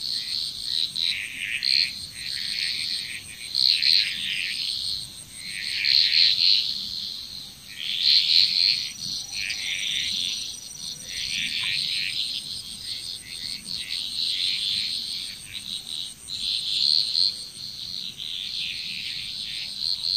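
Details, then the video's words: Chorus of frogs from Bali, Indonesia, with dense trilling bursts pulsing every two seconds or so, rising and falling in loudness, over a constant thin high-pitched drone. "Frog Chrous"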